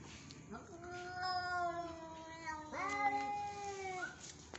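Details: Angry Persian cat yowling loudly indoors: two long, drawn-out, wavering cries, the first starting low and climbing, the second beginning with a sharp rise and holding steady before fading, with faint background hiss.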